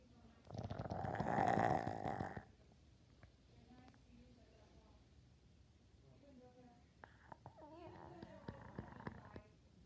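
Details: A dog snoring: one long, rough, buzzing snore of about two seconds, followed by a quiet stretch with faint small clicks and rustles in a small indoor room.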